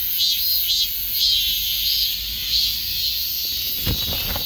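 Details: A high cicada drone pulses in loose, wavering beats over constant hiss, with a short knock or thump near the end.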